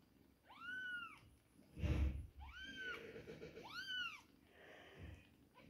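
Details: Two-week-old kittens at milk time giving clear, arching high meows, three in a row about a second apart, with a low thump and shuffling between calls.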